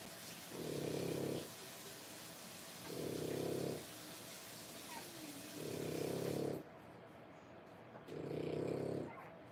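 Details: Three-week-old French Bulldog whelps, born 1/10/25, make four evenly spaced, low, buzzing rumbles, each about a second long and repeating every two to three seconds. A soft background hiss drops away partway through.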